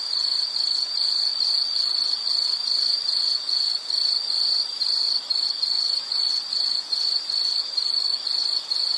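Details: Insect call amid nature sounds: a piercing high trill delivered in evenly spaced rapid chirps, about two or three per second, continuing throughout.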